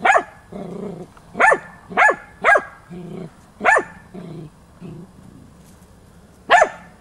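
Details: Hunting dog Tina, a female, baying at young wild boar during training on 6 March 2013; sharp barks with a bright ringing top, some in quick pairs, mixed with lower grunting sounds between them.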